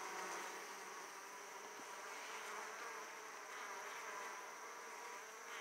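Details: Italian honey bees arriving at their hive laden with pollen; a constant, dense buzzing hum of many bees throughout, with one faint click near the middle.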